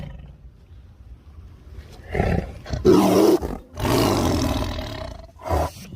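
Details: Angry tiger roaring in rough, broadband bursts, one long deep roar near the middle followed by a shorter growl, with quiet gaps between.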